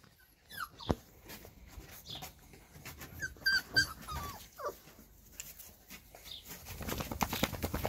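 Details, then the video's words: Labrador Retriever puppies of the 2020 E litter following their mother Lilly through a garden; short high whimpering squeaks with rising and falling tones scattered through the clip, over rustling and background noise that grows louder toward the end. "Hundemutter Lilly führt ihre Welpen durch den Garten"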